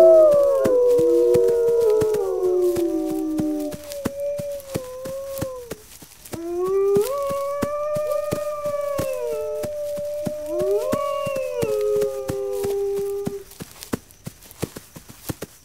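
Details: Wolves open with overlapping howls, then single long howls rise sharply, hold level and fall away, each lasting several seconds with short pauses between them. A steady clicking sounds throughout.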